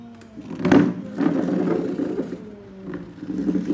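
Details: Pair of domestic cats, a tall cat and a lion cat, squaring off to fight with a chair between them; low rumbling growl-yowls with harsh louder bursts and scraping knocks.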